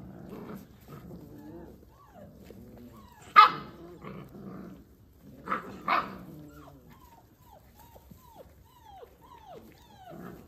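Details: Kangal dogs from a breeder give soft murmuring growls and two sharp barks, followed by a series of short falling whines repeated about every half second.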